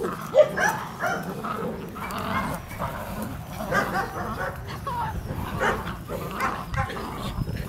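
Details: Puppies of DarkFall's V litter, two months old, in rough play with their mother, giving low rumbling growls mixed with short high yelps and whines, one sharp squeak near the start, amid constant scuffling.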